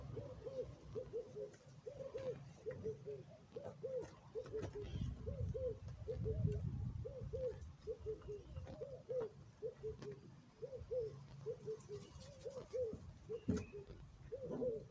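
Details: Eleven Rhodesian Ridgeback puppies, born on 1 October, giving a rapid series of short, high whimpering yelps, roughly one every two seconds, with a low rumbling background.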